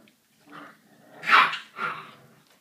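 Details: American Staffordshire Terrier puppy, 38 days old, giving a short series of soft whining yelps, the middle cry loudest and highest, followed by a second fainter whimper in a quiet setting.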